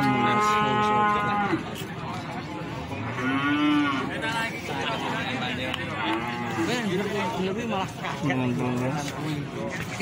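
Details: Cattle at the Plaosan market in Magetan: a loud moo opens, followed by several shorter lowing calls at intervals, over chatter and market noise.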